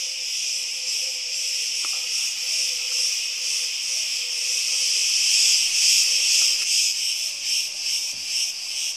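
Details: Summer cicadas singing in Crete: a steady, shrill buzzing wall of sound with soft rhythmic throbbing, growing slightly louder midway, and a faint low hum underneath.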